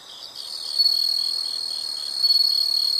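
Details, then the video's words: Insects chirping in a natural setting, a steady high-pitched trill with pulsed chirps layered over it, swelling louder after the first second and again near the end. "the sound of insects"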